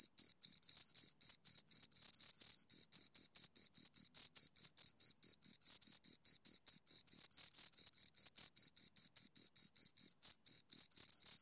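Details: Steady stream of sharp, high cricket chirps from two crickets, rapid pulses several per second with occasional closely doubled notes, clean and close with no other noise.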